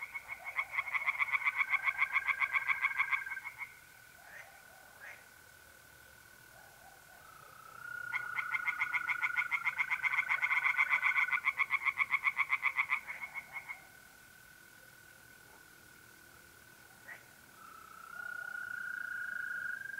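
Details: Pond tree frogs at night in mid-April, north-east Italy, give two long bursts of fast, evenly pulsed croaking; mole crickets keep up a continuous pure-toned trill between and beneath the frog bursts.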